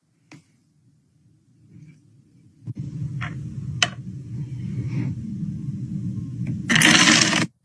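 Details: Indoor rustling and scraping, a few sharp clicks and a closing burst of broadband noise, with no animal call.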